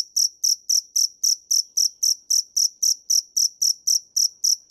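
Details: Field cricket (dế mèn) calling in a quiet setting: steady, high-pitched pulsed chirps repeated nearly four times per second, each short trill sharp and evenly spaced, with no other sounds.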